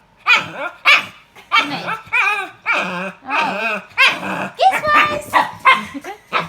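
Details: A pet pug making unusual, not dog-like noises indoors. Rapid series of yowling, warbling whines and moans, each rising and falling in pitch, about a dozen in six seconds, with a woman talking to the dog.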